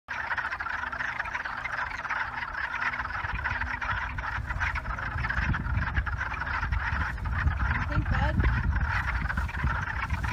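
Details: A dense chorus of wood frogs in the wild at a park in New Jersey, Delaware River Basin, gives rapid, duck-like clucking croaks overlapping into a steady rattling roar.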